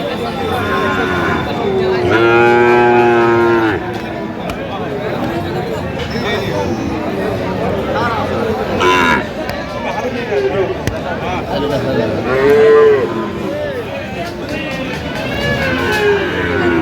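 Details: At a Madaripur, Bangladesh, purchase of Friesian and crossbred bull calves on 21 October, one strong harmonic moo stands out early, followed by softer distant lowing amid busy human chatter.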